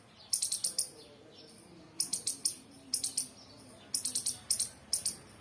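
A squirrel chirps in rapid clusters of thin, piercing, very high notes. Each burst of four or five chips comes about once a second against a quiet background.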